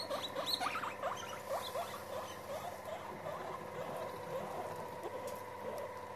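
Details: Several guinea pigs gathered together as they meet, giving a steady chorus of short rising squeaks and chirps over a constant low hum.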